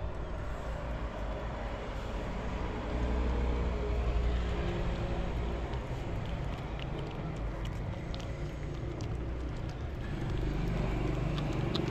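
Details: Low outdoor rumble like passing traffic, with faint clicks and distant voices; no meowing or other animal sound is heard.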